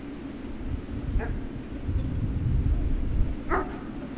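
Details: Great Dane puppies at Puppy Hill on 3 June 2019 in the late afternoon: two short, sharp yips about two seconds apart, standing out over a steady low rumbling background.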